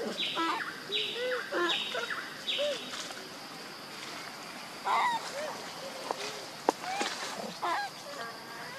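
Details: Young monkey crying for its mother, a run of four similar drawn-out wailing calls about a second apart, followed by softer, scattered squeaks and a few sharp clicks.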